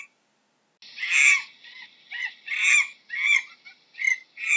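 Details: Monkey starting after a short silence into a run of grating, noisy screeches of uneven length, about six calls.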